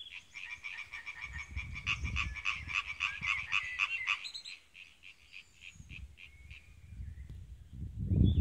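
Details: Male European tree frogs croaking in a pond at Trelde Næs, Denmark, in fast, harsh, rattling bursts of rapid-fire notes.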